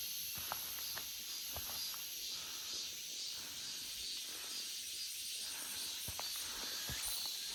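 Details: Cicadas in an August forest fill the air with a steady, high, hissing buzz that never lets up.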